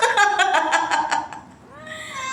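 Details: Cats in Dubai: a quick run of short, harmonic chirping meows that pulse about six times a second, followed after a brief pause by a softer, drawn-out mew that rises and then falls.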